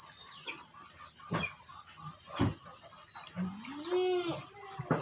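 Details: Etawa goats of the Kaligesing line, future breeding bucks and does, kept in Kaligesing, Purworejo, Central Java. A single rising, wavering bleat comes late, after scattered knocks and clatter, over a steady high hiss.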